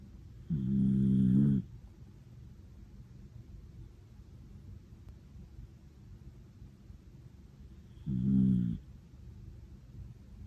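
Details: Ramu, a cream-coloured female Miniature Dachshund born 14 September 2014, snores loudly while sound asleep indoors: two deep, rasping snores, one near the start and another about seven seconds later, with quiet breathing between.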